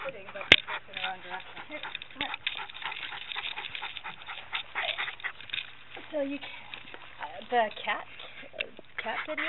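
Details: Wavering, whining howls from Maestro, a Lakeland Terrier, singing along with a piano tuner during a visit to a Calgary, Alberta music store, captured by a camera hanging from his collar; talking voices and scraping, crackling camera noise throughout.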